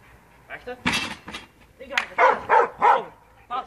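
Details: Ozzy, an Australian Shepherd, barks during agility training in June 2015: three loud, sharp barks in quick succession near the end, with a person talking throughout and other short noises in between.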